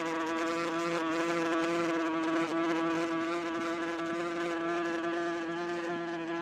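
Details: Wasp in flight, a steady droning buzz with a rich stack of overtones that holds level for the whole stretch, with slight wavering and no other sounds.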